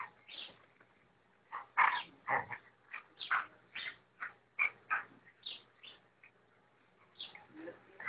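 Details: Rottweiler; bark; reacting to being disturbed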